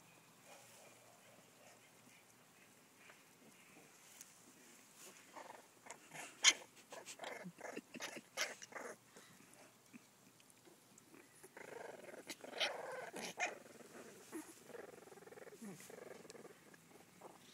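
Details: Pembroke Welsh Corgi puppies, two brothers one a runt, wrestle with small play growls, yips and snuffles in quick bursts.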